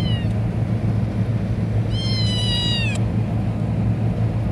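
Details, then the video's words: Pet cat Pelusita utters one sustained, level, tonal meow of about a second, following the tail of an earlier call, against a constant low-pitched hum. "Talking Cat"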